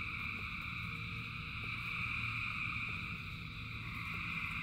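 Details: Dense chorus of thousands of frogs singing in rain: steady layered trilling bands, high and bright, with soft ticks repeating about four times a second over a constant hiss of rainfall and a low rumble.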